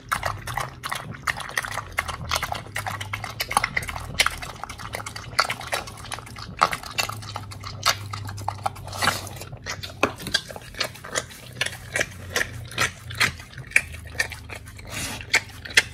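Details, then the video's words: Oli, an American Pit Bull Terrier, eating a raw fish and steak meal, recorded on August 4, 2023. Wet, irregular clicks and crunches come steadily through the whole stretch over a low steady hum. "Oli The Pit Bull eats🥩🐟🌱RAW FISH&STEAK [ASMR] MUKBANG 犬が生の肉を食べる [咀嚼音]"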